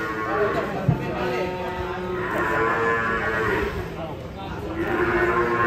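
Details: Agitated cow stepping down from a truck, after colliding with a motorcycle, lets out drawn-out moaning moos that fill most of the stretch, backed by continuous suspenseful music.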